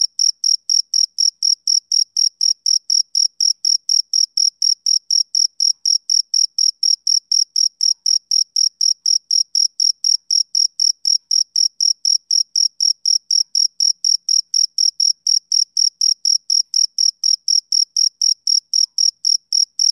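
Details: Male cricket chirping, a sound of summer evenings: steady, high, bright pulses repeated about four times a second, evenly spaced and unbroken for the whole stretch, with no other sounds in the background.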